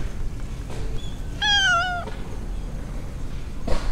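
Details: One drawn-out, wavering meow from a stray mackerel tabby cat strolling in an urban park, followed by a soft thud, set against low city background noise.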